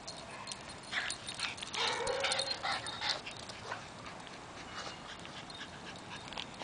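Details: A female Maltese chasing a Boston terrier around the yard gives a quick, monkey-like run of high yips and a short whining note, then quieter noises, possibly panting.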